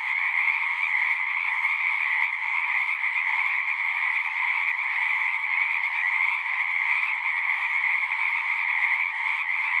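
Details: Steady chorus from numerous singing frogs, a sustained high, slightly pulsing trill in two stacked bands that never pauses, heard as calm natural ambience without other noises.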